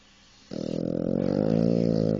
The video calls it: French bulldog snoring very loud